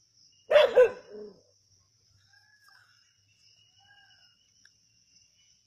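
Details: Native dogs hunting a snake at Keezhadi: a quick double bark followed by a shorter, lower trailing yelp, then near silence under a constant thin insect buzz.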